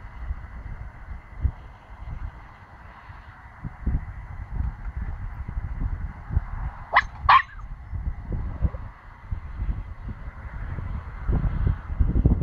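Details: Nine-week-old Pomsky puppy barking: two quick, sharp, yappy barks close together near the middle, set against steady low rumbling and handling noise for the rest of the recording.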